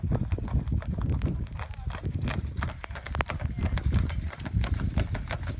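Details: Clydesdale pair driven in harness by their visiting Scottish owner; crisp clip-clop of hooves repeating rapidly, with low wheel rumble and a voice briefly heard.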